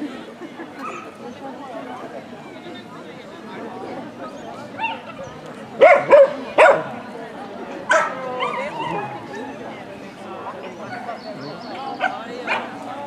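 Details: Ibizan Hound (Podenco Ibicenco) at a dog show in Österbybruk, 29 May 2016. A handful of sharp, loud barks burst out in a cluster mid-recording, followed by a lone bark, over steady crowd chatter and talking.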